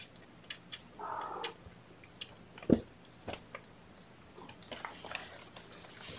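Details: Kittens being fed formula by syringe at the first feeding of the day, several held on a lap; a single short mew early on, then thumps, clicks and rustling from handling.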